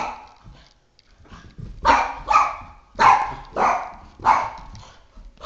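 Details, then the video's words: Attacking a flashlight, three-and-a-half-year-old Boston Terrier Oscar lets out five loud, harsh barks at intervals of under a second after a short quiet lead-in, indoors. "Boston Terrier - Oscar vs Flashlight Psychotic War"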